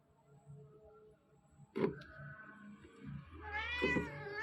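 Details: While two roughly two-month-old kittens chase and pounce in play, their watchful mother keeps meowing in warning; scuffling sounds lead to a clear, wavering, rising meow near the end.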